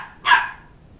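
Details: Two-month-old Sheltie puppy giving a single sharp, high bark indoors while chasing a two-year-old child around a coffee table to get back his stuffed toy dog head; quiet room otherwise.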